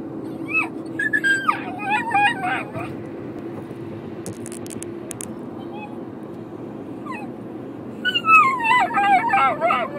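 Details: Pavarotti the dog, riding in a car, voices displeasure at leaving Byron at home: high, sliding whines and falling whimpers in two bursts, one at the start and one near the end, over a steady low car hum with a quiet stretch between.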